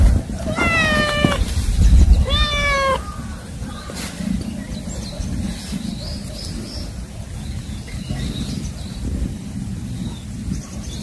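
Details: Roaming kittens giving two drawn-out, falling meows in the first three seconds, then a steady low background rumble with no further calls.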